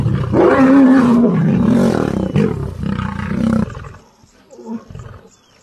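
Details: Serengeti National Park lion: loud gravelly roar for about three and a half seconds with pulsing harmonic bursts, then fading to a quiet pause and a soft final grunt.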